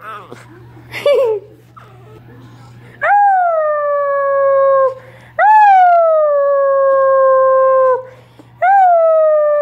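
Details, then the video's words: Basset hound puppies howling along with their owner; after a few short yelps, long drawn-out howls rise sharply, then slide slowly downward and hold steady for several seconds each, with brief pauses between them. "Basset hound pups howl with me"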